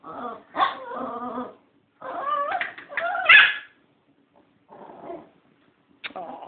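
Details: Female dog upset and jealous because a puppy, zipped in its box, was given a bone and she was not; she answers when asked if her feelings are hurt. Melodic harmonic whines and moans in several rising-falling bursts, with short pauses.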